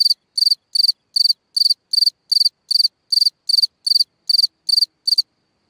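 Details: At night, a cricket singing from a hole in the ground chirps in steady, evenly spaced pulsed bursts, about three each second.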